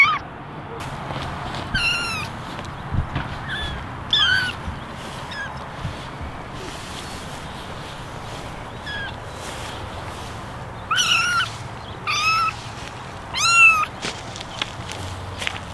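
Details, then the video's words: Eleven kittens, ten ginger and one white, sitting in a basket and meowing for attention; short arched meows come in scattered bursts, sometimes several overlapping, separated by quieter stretches with a low background hum. "Basket of 11 Meowing Kittens"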